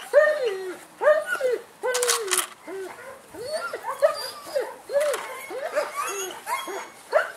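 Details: Male German Shepherd puppy in Saratov, Russia, giving a run of short arched yelps, each rising then falling, repeated roughly once a second, with handling rustles and a brief clatter in between.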